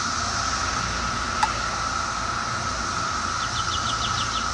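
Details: Constant whining drone of Brood X cicadas, 2004 brood, recorded at close range. A single sharp click sounds early, and a brief series of rapid bird notes appears near the end over the continuous insect hum.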